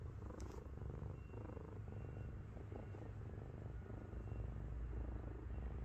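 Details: A heavy 7.5 kg house cat named Miru lies on someone's belly, giving an unbroken low rumbling purr with a dense, motor-like throb and little else heard around it.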